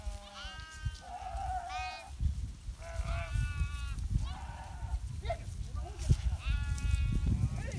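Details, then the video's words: Herded sheep in the Himalaya during winter give a run of wavering, harmonic bleats, several animals calling in turn amid a constant low rumble. "calling sheep's"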